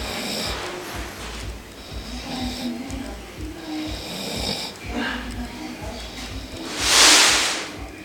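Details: Beagle snoring indoors: soft, rasping breaths rise and fall over several seconds, then a loud hissing exhale near the end, with background music playing throughout.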